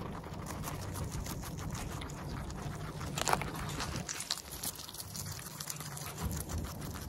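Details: A guinea pig, a Teddy or Abyssinian, chews steadily, filmed close up on its nose and mouth, its food crackling in quick, soft, irregular crunches.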